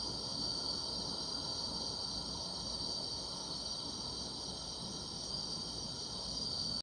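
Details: Summer night with grass insects singing together, one continuous high buzzing whine plus a fainter upper band, unvarying from start to end, over steady low background hiss.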